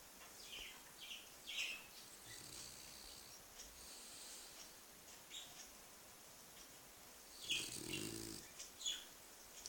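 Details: Bulldog sleeping on its back, recorded 6 November 2013, gives one rough, fluttering snore near the eight-second mark against a quiet indoor hiss, with fainter breathy rasps earlier.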